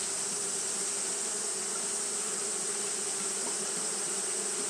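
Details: Japanese honey bees fanning through a hot day make an unvarying droning buzz, rich low tones beneath a sustained high shimmer.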